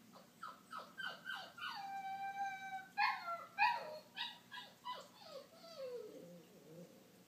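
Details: Benny, a dog left alone in his crate while the household is out, cries in a run of high whining whimpers, several drawn out and wavering, ending in a long falling whine, in a quiet room.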